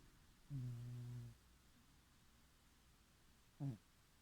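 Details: Female pet cat sleeping and dreaming indoors. A low, steady hummed murmur lasts under a second, then after a quiet pause a brief, soft grunt-like sound.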